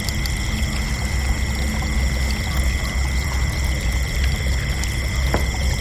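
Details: Crickets at night keep up a steady, unbroken high trilling in several stacked tones, with occasional short ticks and a deep, rumbling low background noise underneath.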